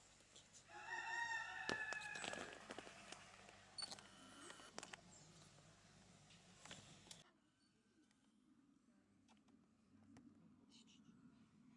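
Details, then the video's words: Tonkean macaques during conflicts within the group, at the zoo of Saint-Martin-la-Plaine in the Loire, France. Loud, harsh, harmonic screeches last about two seconds, followed by clatters and knocks. Things quieten to a low murmur after seven seconds. "Conflits chez les Macaques de Tonkean"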